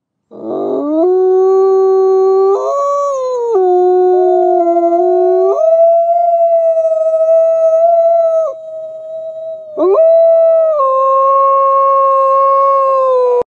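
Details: White wolves howl loudly in long, sustained tones that step up and down in pitch.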